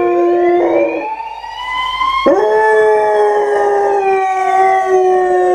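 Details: German Shorthaired Pointer howling in long, sustained tones that slide slowly up and then settle, with a sudden jump to a higher pitch midway before holding steady and gradually falling.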